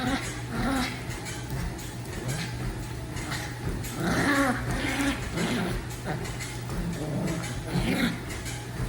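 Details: Pet dog growling while playing tug, a rough, low rumbling growl in uneven bursts with brief higher grumbles, continuing throughout over steady background hum.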